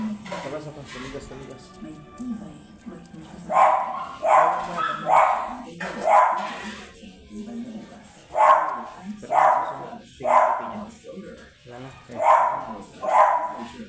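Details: Blue Miniature Pinscher offered for stud service at Manaoag, Pangasinan, giving a run of sharp barks from about the fourth second, spaced roughly a second apart, over background music and people talking.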